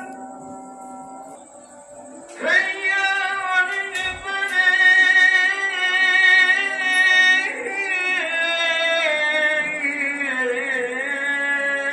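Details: Sung music with sustained harmonic voices, entering strongly after a quiet start and holding steady, layered tones to the end; no animal calls stand out.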